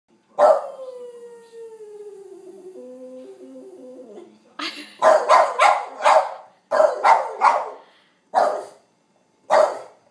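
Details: A seven-year-old male Boston Terrier from Port Saint Lucie, Florida, howling: a long sliding howl that drops and wavers for about four seconds, then a run of short loud bays and yelps in quick bursts with pauses between.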